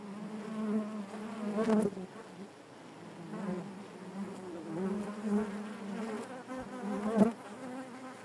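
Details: Honey bees in the hive produce a steady, rich droning hum that rises and falls in loudness, punctuated by occasional sharp clicks.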